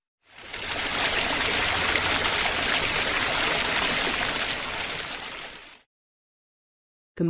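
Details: Steady rushing water like a stream or waterfall, with no animal voice. A brief burst of another sound begins right at the end.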